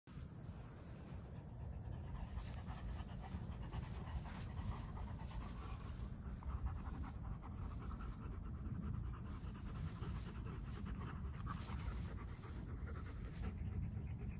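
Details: German Shepherd dog panting in quick, soft rhythmic breaths over a steady low rumble, with faint, irregular brief clicks higher up and no other clear voices.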